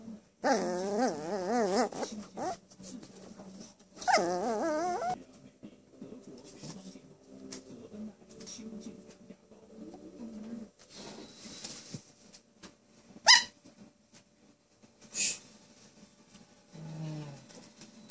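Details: Pet poodle crying: two strong wavering whines in the first five seconds, then quieter whimpers, a sharp short yelp and faint breathy sounds in a quiet room.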